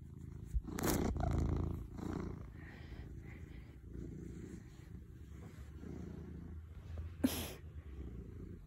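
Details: Cat purring as a soft continuous low rumble, with a few sharp clicks and brief rustling bursts near the start and late on.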